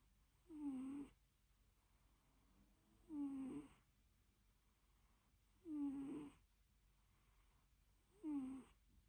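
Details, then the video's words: A napping house cat snores steadily. Four rhythmic, raspy breaths, each carrying a thin whistled note, come roughly every two and a half seconds against a calm indoor background. "Purring & snoring: the cutest (and loudest) nap ever"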